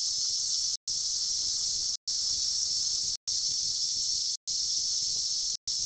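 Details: Periodical cicadas emerging by the billions after a 17-year underground sleep, recorded in 2004: a dense, steady high-pitched hissing drone, cut by brief silent gaps about once a second.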